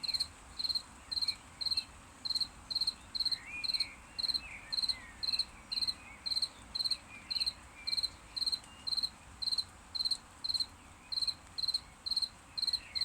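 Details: Crickets chirping after rain, ringing loudly: short, bright, high-pitched pulsed chirps repeated steadily about twice a second, with faint low background noise.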